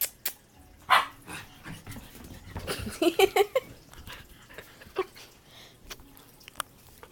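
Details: Pet puppy at play gives a few short, sharp barks and yips spread across the clip, with a cluster of harsher, busier calls near the middle, between stretches of quiet and faint household noise.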